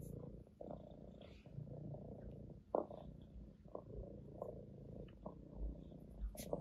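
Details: Domestic orange tabby cat purring on its owner's lap, a steady low rumbling drone that pulses gently, with faint rustles and a few soft clicks from movement.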